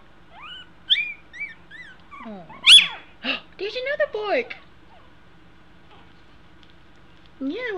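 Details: Two-week-old American Eskimo Dog puppies learning to walk give high, thin whimpering squeals that rise and fall, several in quick succession early on, mixed with a soft human voice and a quiet room.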